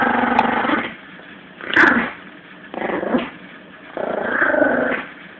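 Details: Yorkshire Terrier puppy Lulu, 17 weeks old, growling in play while tugging a toy with Jack Russell Eddie; four rasping growl bursts, each about a second long, separated by brief quiet pauses, one with a sharper yelp-like peak.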